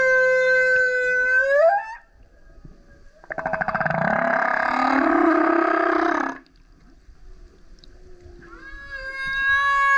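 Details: Male humpback whale surfacing repeatedly next to a kayak and singing loudly: a rising harmonic wail, a rough pulsed roar lasting about three seconds, then a steady high howl after silence.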